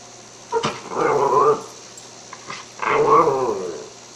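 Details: Cairn Terrier indoors, asked whether it smells lamb chops, answers with two drawn-out, grumbling growl-whines about two seconds apart, each wavering and rising then falling, preceded by a short sharp yip; a quiet room otherwise.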